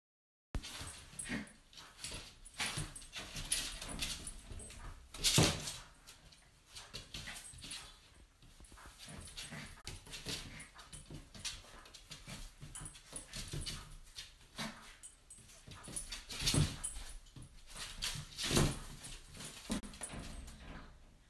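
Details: A Cairn Terrier puppy at play indoors makes soft whimpers and small yips amid bumps and scuffling; Cairn Terrier.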